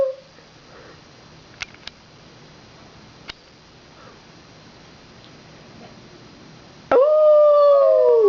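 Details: Dogs Max and Myles howl after a fire truck parade passes with sirens blowing; one dog lets out a loud, sustained howl that slides slightly downward after a quiet stretch.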